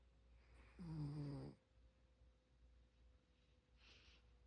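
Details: A dog called Seungdal snores in its sleep: one short, droning, buzzy inhalation under a second long, then a faint breath and near silence indoors.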